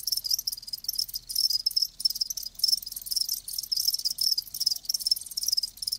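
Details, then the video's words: Live crickets chirping steadily, a dense high-pitched trill in rapid pulsed bursts, several insects overlapping with brief gaps every half second or so, no other sounds. "Live Crickets 60min "Natural Sound""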